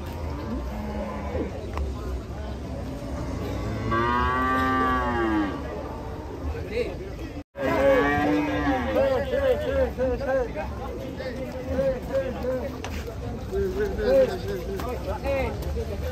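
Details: Cattle unloaded from a truck, described as rampaging: two long, loud moos with rich harmonics, then a run of shorter wavering calls and voices over engine rumble.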